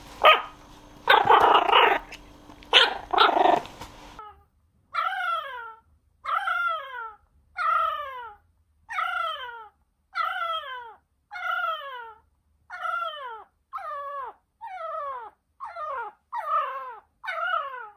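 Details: A male Jack Russell Terrier puppy, born 5 September 2020, cries for attention around a new crate, giving a steady run of high, falling whines about once per second, after a few seconds of loud rustling and bumping.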